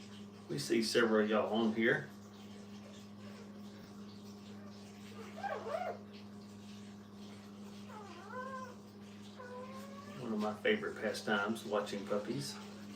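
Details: Brittany puppies with their mother in a kennel: a burst of high, wavering squealing whines at the start, a short whimper near six seconds, rising cries around eight and ten seconds, then a closing cluster of whines, over a steady electrical hum.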